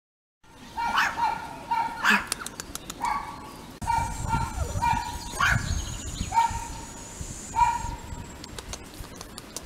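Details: Female Yorkshire terrier weighing 1.2 kg from a toy breeder's kennel, giving a string of short, high yipping barks in repeated bursts of two or three, with faint background noise between.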